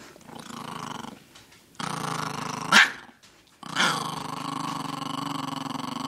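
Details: Chihuahua guarding its vegetables indoors, growling to keep them: sustained low rumbling growls in bursts with a sharper snarl near the middle, in a small room, a person speaking soothingly right after.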